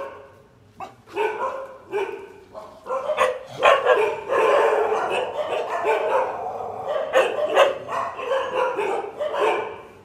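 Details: An injured dog with a broken leg, limping, gives a nearly continuous run of strained whining cries mixed with abrupt yelps, rising and falling in loudness across the whole stretch.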